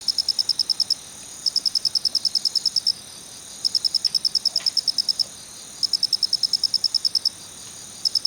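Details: Male Phonarellus ritsemai cricket giving its kichi-kichi call: rapid high-pitched pulse trains about a second long, separated by short pauses, each burst a dense series of sharp chirps.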